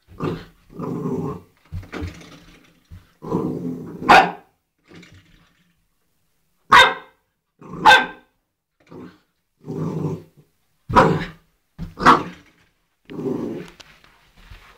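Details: Playful eight-week-old Old English Sheepdog puppy tussling with a doorstop indoors, giving a run of low growly grumbles mixed with sharp higher yaps and barks, roughly one per second, with short silences between bursts.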